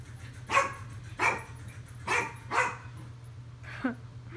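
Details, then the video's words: Dog barking at a washing machine indoors: four sharp, fairly soft barks about half a second apart, then a short yelp, over a steady low machine hum. "Dog barks at washing machine"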